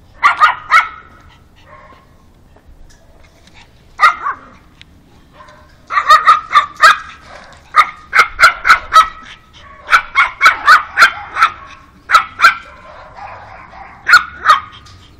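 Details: Pug greeting a new canine friend with a stream of shrill, rapid barks, a few isolated yaps at first, then dense runs of repeated barking with brief gaps.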